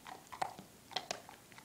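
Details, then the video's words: Drake, a 4-month-old German Shepherd puppy, crunching Milk-Bone treats in a small room; a few crisp, separate bites and cracks, close to the microphone. "Drake loves milkbones"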